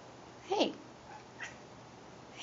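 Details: Pet cat chattering indoors: a bright, harmonic chirp that bends upward and back down, then a softer, shorter chirp about a second later, over a quiet room hum.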